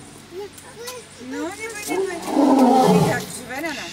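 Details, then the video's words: A lioness gives a short, loud, rough roar lasting under a second, rising out of quieter surroundings; people talk softly before and after it, with a child's voice among them. "Lioness says...."NO!""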